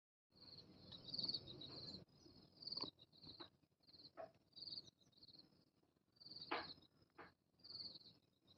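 A cicada gives a high, thin, ringing buzz in short bursts, broken by brief pauses.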